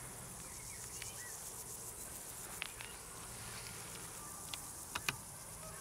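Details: Crickets trill continuously at a high pitch, softly pulsing, while scattered sharp clicks and taps and a few faint chirps punctuate the background.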